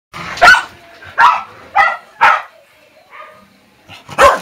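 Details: Pet dogs barking: five loud, sharp, separate barks at irregular intervals of roughly half a second to a second. Softer short yips fill the gaps, and a final strong bark closes the sequence.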